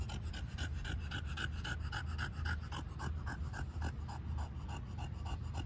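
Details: Overheated dog with its tongue out, beside an ice cube dog toy, panting fast and steadily, about five breathy pulses per second throughout, over a constant low hum.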